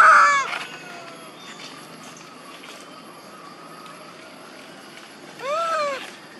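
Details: Monkey mothers Duchess and Queen crying loudly as they call for their baby Quinton: a high, arched, harmonic wail opens the clip, then a quiet stretch before a second rising-falling cry near the end, with faint outdoor background.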